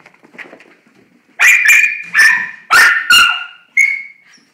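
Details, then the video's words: Female dog excited on learning she is going outside to pee, a daily event; after a soft whine, five sharp high yelping barks come in quick bursts over two seconds while a person coaxes her. "Wanna Go Pee Pee?"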